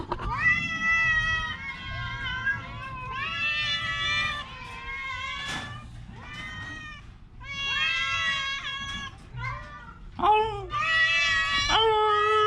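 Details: Sick orange cat with a cough and cold meowing repeatedly in long, wavering, harmonic calls separated by short pauses, with a few sharp clicks and a low steady hum beneath.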